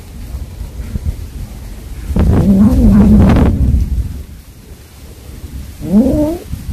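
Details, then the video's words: Mother cat calling to her kittens, a cat that caught a mouse to feed her young: a short low harmonic call, then a brief rising higher cry a few seconds later over low rumbling noise. "아깽이 부르는 소리"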